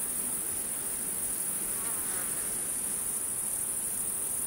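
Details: A steady, piercing insect drone from crickets in the wild runs unchanged through the whole stretch, thin and high, with a faint murmuring background below.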